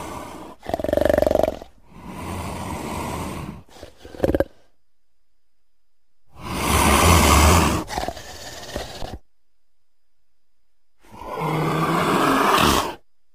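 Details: Leopard (Panthera pardus) giving rough, rasping roars in separate bursts with silent pauses between them.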